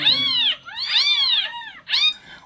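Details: Kitten crying played back indoors to a pet cat that reacted restlessly, as if to a plea for help: three shrill, arching mews in quick succession, the middle one longest, ending with a brief click.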